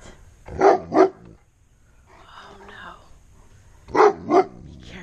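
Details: Alarmed giant Alaskan Malamute, a dog that rarely barks, reacting to something that frightens him: two pairs of sharp, loud barks a few seconds apart, with a woman's worried voice in the gap between them.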